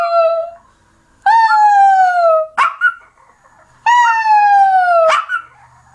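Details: Pet dog howling: long drawn-out tonal wails that slide slowly downward, with brief harsh yelps between them and quiet gaps.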